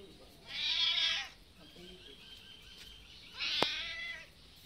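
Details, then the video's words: Hungry domestic cats waiting for food one afternoon outdoors; two high, thin meows about three seconds apart, with a sharp click and a steady background hiss. "Cats are very hungry waiting for me."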